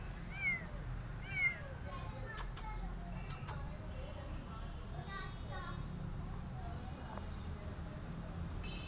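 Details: Abandoned kittens, left because their family could not provide cat food, give short rising-falling meows near the start, two clear calls in the first second and a half, then fainter mews amid low rumbling background noise and clicks.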